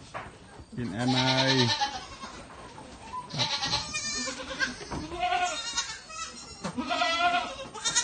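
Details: Baby goats at milk feeding time give wavering bleats in quick succession, some high and tremulous, one lower and steadier near the start, with faint human voices mixed in.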